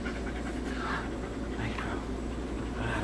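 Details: Nitro, an adopted male Greyhound rescued from racing (racing name Atascocita Egor), eating pasta indoors. Soft breathy panting swells in a few broad puffs over a steady low hum.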